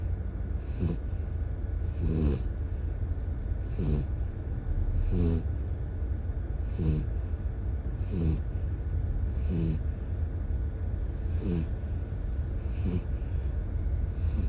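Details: Asleep in the car after four days of camping, Howl, a ten-year-old dog, snores steadily: a rough, rattling intake paired with a high airy whistle, repeating about every 1.4 seconds over an engine-like rumble.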